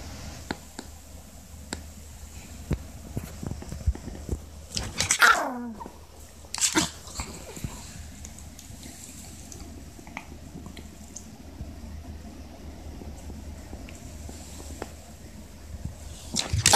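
A Maltese gives a few sharp, high barks in protest, with small clicks and rustles between.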